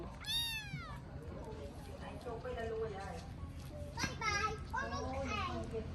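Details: Rescued abandoned kitten during feeding lets out a sharp, high, descending meow, then later a run of two or three quick, wavering mews. Vietnamese speech fills the gaps, with a low background hum.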